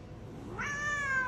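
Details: A male Siamese cat, about nine to ten months old, is displeased at being examined by a vet. He gives a loud, drawn-out meow that rises sharply, then holds steady.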